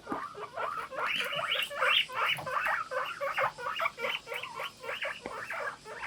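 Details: Several pet guinea pigs kept together give a morning 'puipui' chorus: dense overlapping squeaky calls, each rising and falling, piled on top of one another in a rapid, continuous stream.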